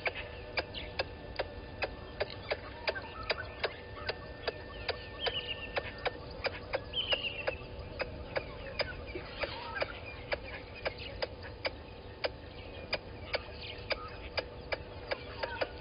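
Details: Squirrel alarming at a water monitor lizard below the waterhole camera at Gowrie dam, Djuma Game Reserve, Sabi Sand Wildtuin, South Africa, 11:45 on 10/04/20: steady sharp clicks about three per second throughout, with scattered bird whistles behind.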